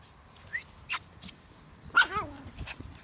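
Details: Brussels Griffon dog Minnie outside in the sunshine after snowfall in Belgium gives one clear yelping whine that starts high and slides steeply downward, preceded by a sharp click and followed by faint rustling.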